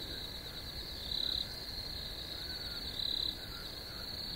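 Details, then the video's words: Steady high-pitched cricket chorus, a constant ringing trill broken by two louder pulsed chirp bursts spaced about two seconds apart, with soft, faint lower chirps in the background. "Crickets Chirping"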